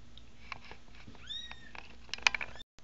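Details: American Bobtail kittens from a new litter of five, two males and three females, eyes just opening; thin rising high mews, a few brief calls in the first half, then scattered clicks and rustling indoors.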